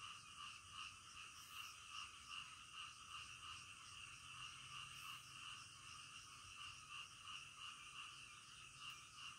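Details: Night frog chorus in the middle of the night, steady pulsing croaks repeating roughly two or three times a second, layered over a constant high hiss.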